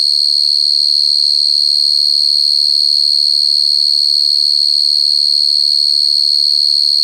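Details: Cricket sound, described as very clear, made of a loud, steady, high-pitched trill. It pulses evenly about 200 times a minute and stays unbroken for the whole stretch, with only a few faint low murmurs far beneath it.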